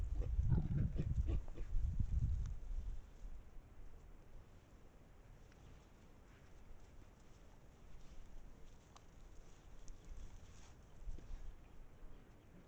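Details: Wild boar pack visiting a sand spot in Estonia, recorded on a trail camera: a short burst of low, throaty grunts in the opening two and a half seconds, then near quiet with faint rustling.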